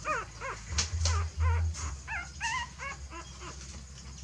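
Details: A mother dog moves her puppies to a fresh nest. High, thin whines come in short arched bursts, some rising and falling in pitch, about three a second, with low background hum and a few soft knocks.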